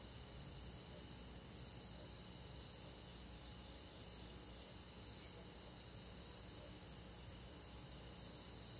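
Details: Countryside insect chorus on a summer night, crickets among them: layered high-pitched trills hold steady throughout, while faint pulsed chirps return roughly every second above a constant low rumble.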